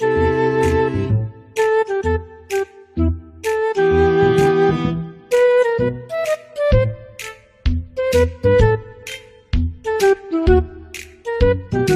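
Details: Instrumental music plays throughout, a melody of sustained flute-like and bowed string notes over a low accompaniment, with no animal sound heard.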